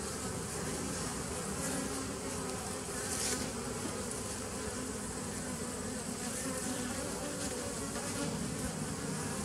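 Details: A 2017 nucleus colony of honey bees, recorded 27 September 2018, gives a constant murmuring hum. The low, rough drone is overlaid with a soft hiss, and a brief brighter swish comes about a third of the way in.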